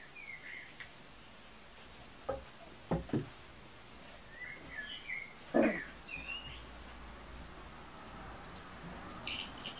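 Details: Kuvasz puppies from the litter of Armani Niclas vom Crystal Diamonds and Arika Majna-menti Mákvirág, 14 July 2014; thin high squeaks and whimpers, short and wavering, scattered between soft knocks and rustling in a quiet room.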